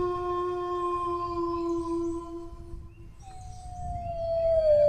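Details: Dog howling: a long, steady, level tone with strong overtones holds for about three seconds, breaks off, then a fresh howl starts higher and slides slowly downward; low background rumble.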